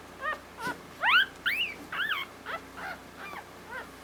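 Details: Squealing steadily, a newborn female Havanese puppy born on Valentine's Day makes a quick run of about nine high, rising-and-falling squeaks and whimpers, the loudest early on, fading toward the end, in a quiet room.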